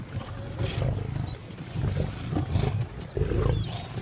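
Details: Lions from two rival prides, deep rumbling growls in several low, pulsing bursts over about four seconds, with no other clear sounds.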